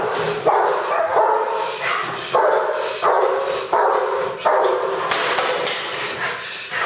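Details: An adult female Rottweiler barks in deep, harsh bursts during clubhouse protection bitework, about once every second.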